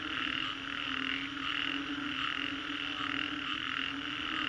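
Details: Frogs in Green Corridor, Singapore, calling after a storm: loud repeated pulsed croaks, about one and a half per second, forming a thick chorus with a persistent tonal background.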